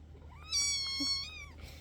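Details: A single clear, high-pitched kitten meow, held level for under a second before dropping slightly at the end, over quiet room hum.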